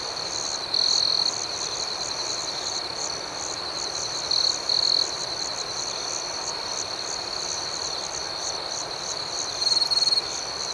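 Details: Crickets chirping at night in a steady, high, shrill chorus of rapid pulses, with three brief louder bursts of chirps standing out near the start, middle and end.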